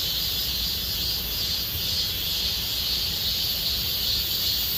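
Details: Cicadas singing in Gomsol Nuri Forest, Sihwa district, Korea, as summer deepens; sustained high whirring buzz swelling and easing slightly, with low rumbling noise in the background.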